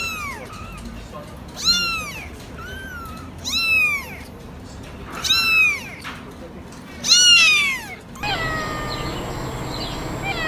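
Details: House cat repeating five bright, bent meows roughly every two seconds, each with a quick rise and slow fall, before an abrupt cut to a different, noisier scene with a thin steady high tone.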